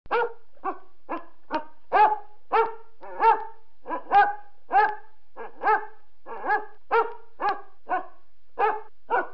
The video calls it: Basset Hound barking - sound effect for editing